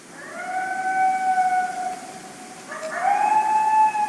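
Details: Eastern coyote, a large coyote with some wolf ancestry, that appeared right in front of the recordist, giving a long flat howl held steady for about two seconds, then a rising, higher second howl; quiet background.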